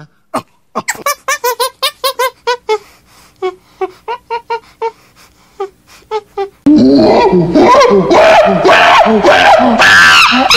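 A monkey gives a quick run of squeaky, yelping calls, then loud laughter and music take over.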